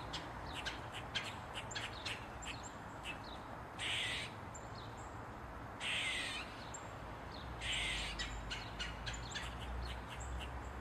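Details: Barking Eastern gray squirrel (Sciurus carolinensis) standing on a mushroom and flicking its tail. Three drawn-out, raspy squeals come about two seconds apart, with soft, rapid chucking notes filling the gaps.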